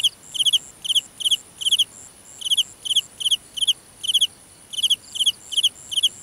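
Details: Night-time cricket in grassland giving short bursts of three or four rapid pulses, roughly two to three bursts per second in an even rhythm, with faint higher insect calls behind.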